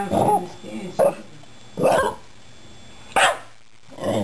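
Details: Shiba Inu named Patrick "talking" to two rescued cats indoors: short barky yelps and grumbles spaced about a second apart, each a brief burst, separated by quiet room tone.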